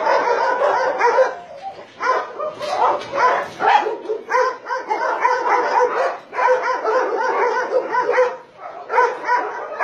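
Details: Many dogs on a meat farm cum puppy mill in Nonsan, South Korea, January 2017, among 150 Dobermans, Shar-Peis, Chow Chows and Golden Retrievers, bark together in a dense, overlapping din of sharp repeated barks with short lulls.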